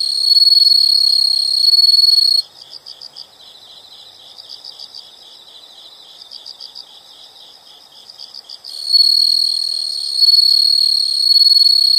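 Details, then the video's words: A chorus of insects in a nature soundscape: a loud, continuous high trill cuts out abruptly, leaving softer rhythmic chirps in short pulsed bursts, before the piercing steady trill returns near the end. "the sound of insects"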